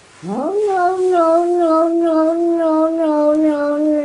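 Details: A domestic cat gives one sustained, drawn-out yowl lasting nearly four seconds. It opens with a quick upward sweep, then holds a rich, wavering tone that sags slightly in pitch toward the end.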